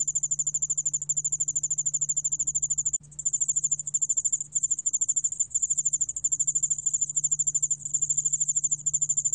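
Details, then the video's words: Song of the Yeoul spotted bell cricket from the National Institute of Biological Resources, 2020: quick repeated high-pitched chirping pulses running almost without a break, with one brief pause near three seconds and a soft low hum beneath. "여울알락방울벌레, 여러번 듣기, 곤충소리"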